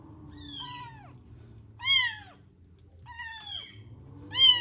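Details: Four loud, high, arching meows from motherless newborn rescue kittens in a home warming box, each cry about half a second long and separated by short pauses.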